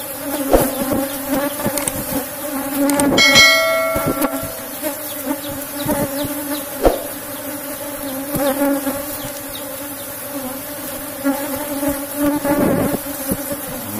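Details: Cultivated Asian honey bee colony (Apis cerana) in a box hive being opened for honey; a continuous droning hum runs under metallic clanks, clattering and tool noises.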